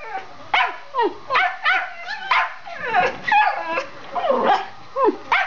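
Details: Bella and Gina, two house Schipperkes, dash around barking. Rapid overlapping yaps, some with a downward whining tail, tumble over one another almost continuously, loud and high-pitched in an indoor room.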